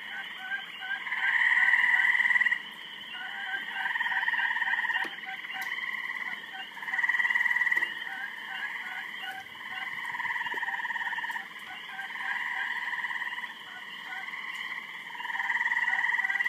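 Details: Several frogs croaking loudly during mating, a dense chorus of rapid pulsed trills layered in bands, swelling and fading in overlapping bouts every few seconds, with higher chirps above.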